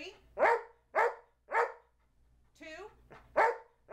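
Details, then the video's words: Charlie B., a trained two-year-old Old English Sheepdog counting aloud, gives three quick barks, a person's voice cuts in briefly, then another bark follows, then a final one at the end. "Talking Dog Charlie B. Can Count to 12!"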